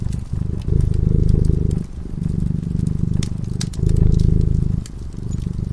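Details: A cat purrs while sleeping in front of a crackling fireplace: a deep, steady rumble in long swells about a second or more each, broken by short pauses for breath, with sharp pops of burning wood above.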